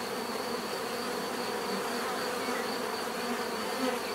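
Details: Bees humming in an unbroken, steady drone, many wingbeats blending into one even buzz.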